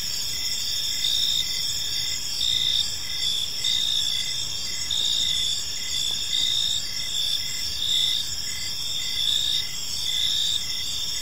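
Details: Evening in a serene park filled with gentle cricket chirping: continuous shrill layered trills, rhythmic bursts rising and falling about every second, soft low rumble beneath.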